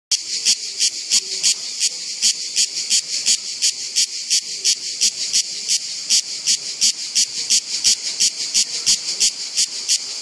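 A cicada sings in loud, buzzy pulses repeated about three times a second.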